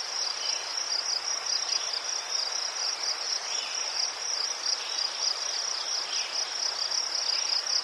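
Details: Steady cricket chorus in Ukraine among chrysanthemums, a bright high trill beating in quick even pulses throughout, backed by soft scattered insect chirps.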